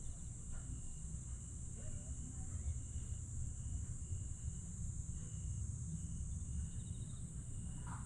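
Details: Summer-night insect chorus at Aewol, Jeju, recorded 22 July 2022. A continuous thin high-pitched whine with scattered soft pulsed trills sits above persistent low rumble.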